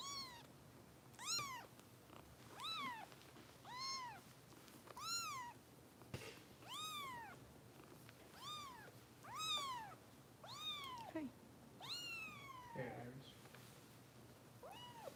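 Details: Foster kitten Harper meowing during bottle feeding with Kitten Rescue volunteers in Los Angeles: a steady run of loud, arched, rising-then-falling meows, roughly one every second, with a faint indoor hum underneath.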